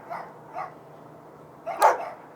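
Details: Dogs barking next door at night, described as noisy and unacceptable: two softer barks half a second apart, a pause, then a double bark ending in one loud, harsh bark.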